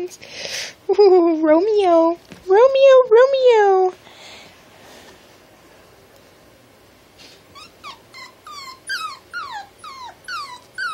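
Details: Small blue male miniature Dachshund vocalising while playing: drawn-out, wavering high whines in a loud burst, a quiet pause, then a run of short, squeaky, downward-sliding whimpers repeated rapidly, with a person talking to it.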